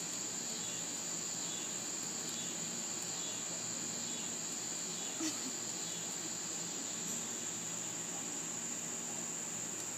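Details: A constant shrill cicada chorus hums without pause while a dog sits listening. A soft click and a faint murmur break in near the middle, and steady background noise lies beneath.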